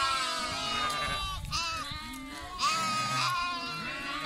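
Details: Lambs giving overlapping quavering bleats, one clear wavering call standing out near the end above a dense background of other bleating animals.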